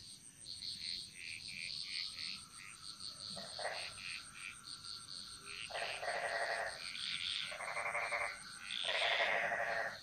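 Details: Jungle frog chorus from Bali, Indonesia: layered croaks and rapid pulsed rattles in loud bursts lasting about a second, spaced every two to three seconds, over a continuous high trilling background and a thin steady insect whine.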